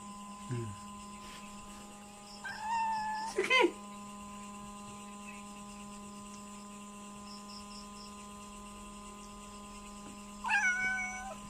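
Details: Hungry domestic cat begging for food indoors: two short rising-falling meows separated by about seven seconds of quiet, over a steady electrical hum and a brief soft voice near the start.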